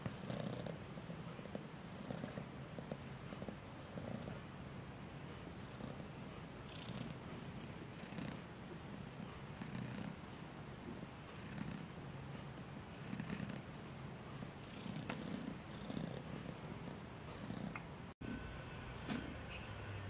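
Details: Maine Coon purring steadily beside newborn kittens at a Saint Petersburg, Russia cattery: a continuous low rumble with a soft pulsing rhythm, a brief dropout near eighteen seconds, indoors.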